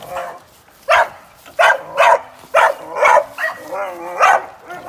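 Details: Working young American Staffordshire Terrier during sporting-dog training, giving sharp, separate barks about every half second after a quiet start, with a faint whine between them.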